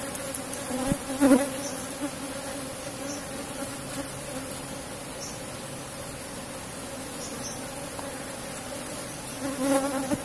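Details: Soft continuous hum of cultivated Asian honey bees in a box hive during honey harvesting, fairly even throughout, with a couple of louder bumps near the start and end.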